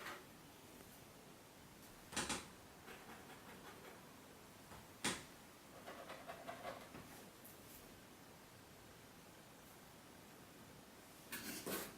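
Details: A quiet indoor room with a few sharp knocks and rustles from a cardboard box being handled, a soft background hiss, and no animal voice.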